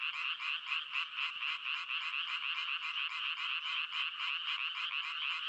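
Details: A steady wall of frog croaking, shrill and buzzy, made of many overlapping callers. The sound pulses rapidly, about four beats a second, with soft faint pips underneath and no other noise.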